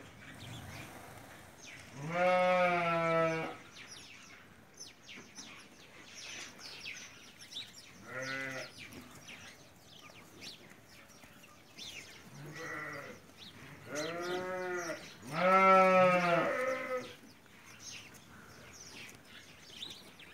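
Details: Hungarian Merino sheep kept in Central Anatolia, Turkey, giving several drawn-out, wavering bleats of about a second each, some overlapping, over a background of low farm noise.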